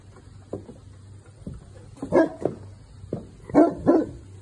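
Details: Newfoundland dog barking to protect his property as a delivery truck arrives; several deep barks, two louder bursts near the end, with quiet talk around them.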